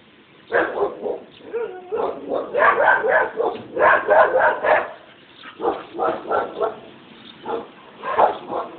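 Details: Annoying barking dogs: rapid bursts of sharp barks in quick clusters of three to five, loud throughout, with brief lulls between volleys and no other clear sounds.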